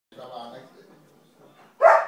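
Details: A 3-month-old puppy in a toilet room gives one sharp, high bark after a person speaks briefly. It barks because its food bowl is held up high to stop it eating.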